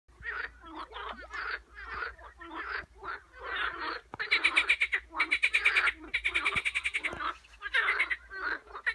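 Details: Frogs calling in a dense chorus: rapid pulsed, raspy croaks overlap almost without pause, some rising into louder rattling bursts in the middle.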